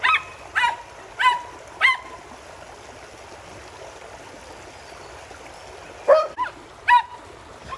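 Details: Border Collies playing in a pool together with a Springer Spaniel and a poodle: a few high, short yips, three spaced about half a second apart, then a pause and two more, over steady splashing water.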